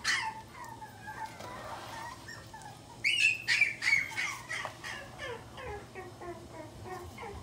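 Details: Pomeranian at a pet shop in Shizuoka, Japan, starting with thin descending whines, then bursting into a few sharp yaps, followed by softer rapid yelping notes fading out, over a low electrical hum.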